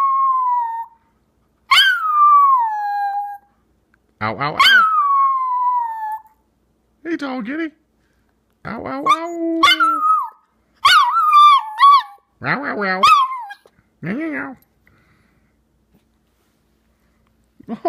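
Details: A Chihuahua howling like a wolf gives drawn-out, wavering tones that slide downward, with short yips between the longer notes, while a cat and another dog come to see the commotion.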